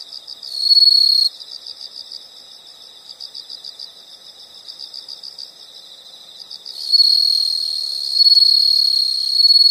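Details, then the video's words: Insects in a nature recording, shrill high chirping pulsed about four times a second, broken by long sustained loud trills early and in the final seconds. "the sound of insects"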